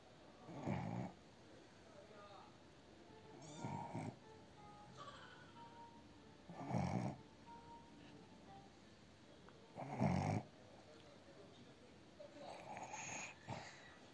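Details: Snoring Cavalier King Charles Spaniel puppy, Blenheim, asleep indoors: slow breathy rasping snores about every three seconds, each swelling then fading, with faint background music.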